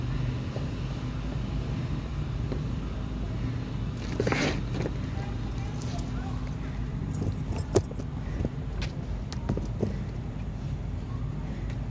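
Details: Low car engine rumble under scattered speech, with keys jangling and a few clicks, and no animal call heard.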